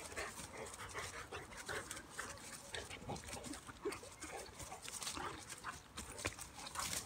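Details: Two dogs, a Bulldog/Staffy cross and a Cane Corso, play-wrestling: low rumbling grunts mixed with breathy panting and scraping scuffle noises in irregular bursts.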